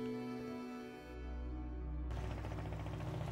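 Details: Sustained musical tones give way to a dense, rumbling burst of low noise, with no animal voice anywhere.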